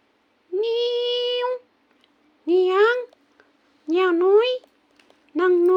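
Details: A kitten, described as wanting to sleep and asking not to be disturbed, gives four meows in a row: a long level one, then shorter meows that rise and waver, with faint clicks between.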